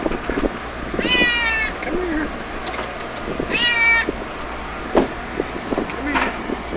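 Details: Little stray kitten being fed in a yard, letting a person pet her: two long, strong harmonic meows that bend downward, about two seconds apart, amid a man's soothing talk and rustling.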